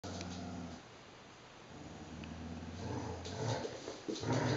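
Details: Vizslas playing tug-of-war with a toy monkey indoors, giving low, rumbling growls that come and go in uneven bursts, strengthening toward the end with a few short rough peaks.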